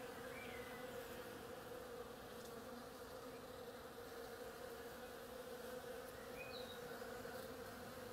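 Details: Many bees busy on a flowering oriental creeper give a continuous, even humming drone, layered with a steady mid-pitched tone, while a couple of short thin bird chirps sound faintly in the background.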